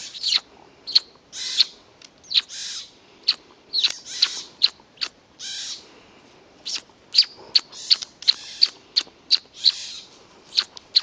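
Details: Pine marten kits out exploring at Kälberberg, 8 May 2012, give a busy stream of shrill chirping squeaks mixed with breathy hissing bursts, the calls coming in rapid, uneven succession.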